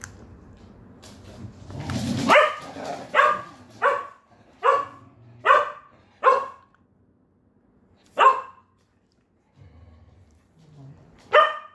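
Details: Shetland Sheepdog barking indoors in the evening, in a home of nine dogs where the sheltie Naru chews a cow horn. A rushing burst leads into about eight sharp, bright barks at roughly two-thirds-second intervals, then a pause and one final bark.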